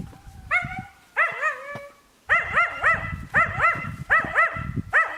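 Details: Yakutian Laika puppies whine and yelp in rapid, bouncy series, each cry an arched, clear note, a long falling whine near the start, then steady runs of about four yelps per second.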